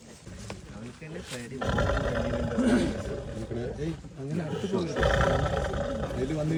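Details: A tiger newly caught in a cage in Wayanad roars and growls in deep, rough, broadband bursts, rising in loudness after the first second, while people talk close by throughout.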